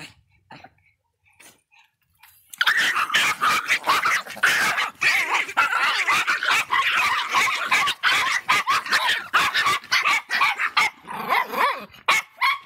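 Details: Angry Miniature Pinscher bursts into rapid barking after a quiet start, sharp high yaps pouring out about two or three per second, unbroken for roughly eight seconds before tapering into scattered barks.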